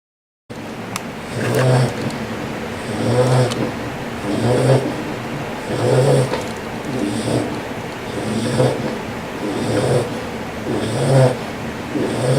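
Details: Loud bulldog snoring: deep, rough, rattling breaths in a steady rhythm, one snore about every one and a half seconds, nine in a row, with a little background hiss.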